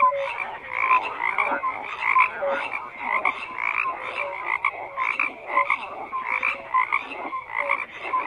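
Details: A dense chorus of frogs croaking, with overlapping raspy pulsed calls in rhythmic bursts roughly every half second, and short clear tonal notes, some low and some higher, scattered through the steady din.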